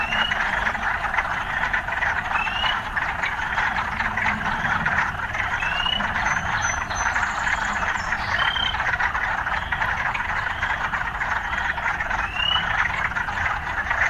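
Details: Frogs in an urban setting, sounds of urban life mixed in: a dense, steady trilling chorus with short, bright upward chirps popping out every second or two, over a faint low rumble.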